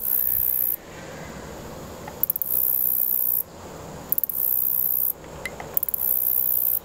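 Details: Close recording of a male black-legged meadow katydid buzzing by stridulation: long, very high sizzling trills broken by brief gaps, some bursts opening or closing with quick stuttered ticks.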